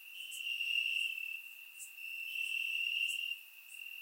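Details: Crickets chirping in grass on a warm summer night in Bulgaria, recorded with a surround microphone: a steady, high, ringing trill that swells and dips in loudness, with faint higher clicking chirps of other insects above.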